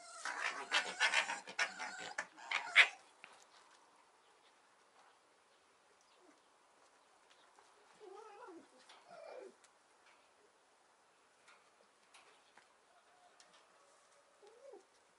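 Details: Two playful foxes rescued from a fur farm, kept in captivity, at play on a summer day: a loud, harsh chattering burst for about three seconds, then scattered quieter wavering whines and short yelps with long pauses between.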